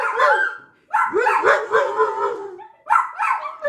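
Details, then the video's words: A lab mix and two small dogs howling together at a package delivery, kept from rushing the window; long wavering, sliding howls in overlapping voices, rising and falling, with a short pause before a fresh burst. "Howling during package delivery"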